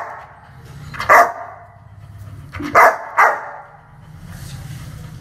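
A dog barks aggressively, with three loud, rough barks: one on its own, then two close together. Between them only a faint, steady low rumble carries on.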